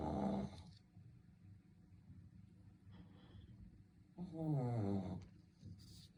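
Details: Shih Tzu asleep and snoring: a brief rasp at the start, then after a quiet stretch a loud, drawn-out buzzy snore of about one second with a falling rattling tone.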